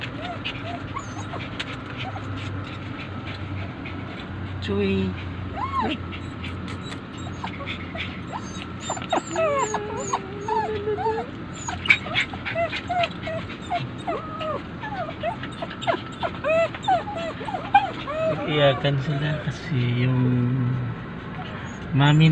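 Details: Several pet poodles cry because their owner has left them. Wavering, rising-and-falling whines and short yips continue over a long stretch, mixed with a person talking nearby and steady low room noise.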